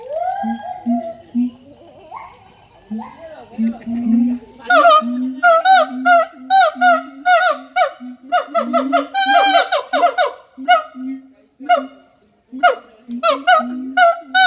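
A siamang gives loud, hooting calls that quicken into a rapid run of barking whoops.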